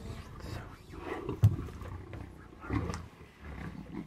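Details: Wild lions in South Luangwa National Park, Zambia, fighting among themselves over a zebra kill on a morning game drive in September 2017; low guttural growls and snarls with sharp bursts, faint voices in background.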